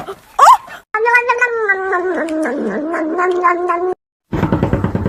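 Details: Pet cat in a funny cat compilation letting out a long, wavering, low yowl lasting about three seconds after a brief squeak, ending in an abrupt cut to a rough, noisy rattle.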